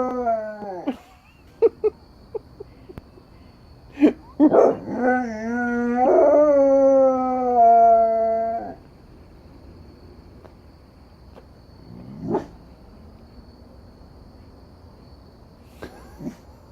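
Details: A dog howling at coyotes: short yips and a falling note, then a rough burst opening into a steady howl held for several seconds, followed by quieter scattered yelps and a faint distant howl.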